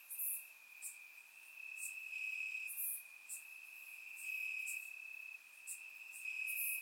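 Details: Chorus of crickets chirping at night in summer grass in Bulgaria; a steady piercing trill continues throughout, punctuated by brief bright chirps several times a second from other crickets nearby.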